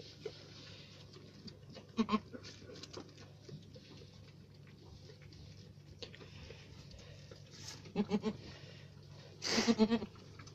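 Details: Alpine goat kept on a farm, bleating in brief wavering bursts at about two, eight and nine and a half seconds, with quiet background hum between calls.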